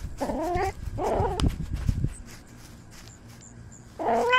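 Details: Domestic cat encountering a squirrel, recorded by a camera worn on the cat: two short, rising-falling meows in quick succession, then thumping and rustling handling noise, a quiet pause, and a final meow starting at the end.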